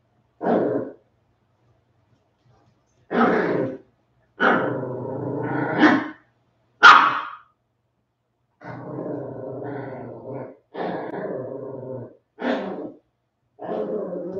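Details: West Highland White Terrier puppies, 47 days old, back after an outdoor break. Short yapping barks and growly harmonic bursts come in separate bouts, with a longer rumbling growl near the middle and quiet gaps between.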